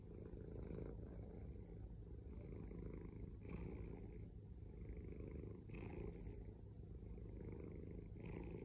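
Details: A male domestic cat purring loudly, a deep continuous low rumble with a rhythmic grainy texture, swelling with each breath cycle every two to three seconds, close to the microphone with no other sounds.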